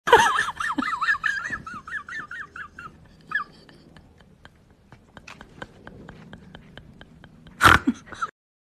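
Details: Golden Retriever giving a wavering, warbling whine that rises and falls rapidly for about three seconds, followed by soft sniffs and clicks indoors and a sharp thump near the end.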